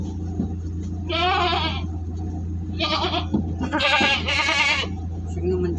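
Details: Large jumbo goat being transported in Singosari, Malang, Indonesia. It gives three or four wavering, nasal bleats, the last two nearly back to back. A steady low engine drone runs underneath, with people talking nearby.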